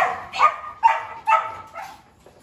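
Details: A Dobermann at a large kennel gives four clipped barks in quick succession, about half a second apart, in an otherwise quiet setting.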